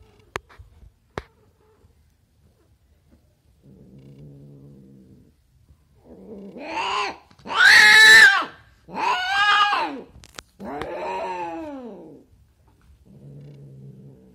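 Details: Female domestic cat in her first heat, mating with a Siberian male: quiet low purring stretches, then loud drawn-out harmonic yowls rising and falling, three long wails in a row, followed by more soft purring.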